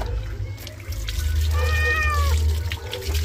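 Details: Pet cat being bathed in the afternoon gives one drawn-out, wavering meow lasting about a second mid-clip, rising then falling slightly, over a steady wash of running water.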